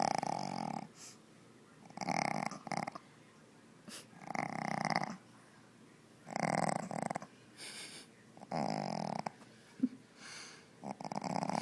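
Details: A Shih Tzu puppy named Zoey, short-snouted and struggling to breathe, snores in a small room: a steady run of rough, wheezy, buzzing breaths, roughly five or six in a row about every two seconds.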